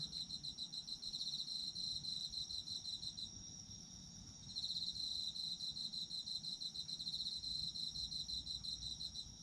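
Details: Chorus of autumn insects: rapid pulsed chirps high in pitch run in sustained bursts, dropping out once near the middle before resuming, above a constant shrill hum and soft low noise.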